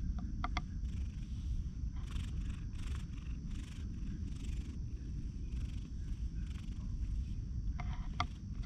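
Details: Stray cat purring while it meets a lone man, filmed on a GoPro HERO8: a steady, low rumble runs through the whole stretch, with a few soft clicks and rustles at the start and end.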